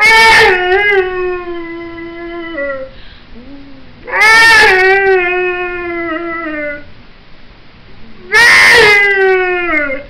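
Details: Pit bull dog singing in a bluesy voice: three long howls, each opening with a loud, harsh burst and then holding a steady, rich, slightly falling tone for about three seconds. Soft whines fill the short gaps between them.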